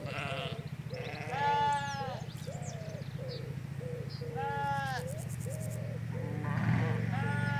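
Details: Sheep in a Hampshire field, ewes and their lambs: repeated quavering bleats roughly every second, loud nasal calls interleaved with thinner short lamb bleats, with faint bird chirps and low road rumble behind.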